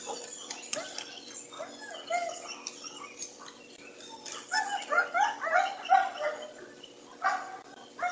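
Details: Pregnant German Shepherd bitch voicing her wish to go swimming: soft, quiet whines at first, then a run of louder, pulsing, talk-like moans near the end.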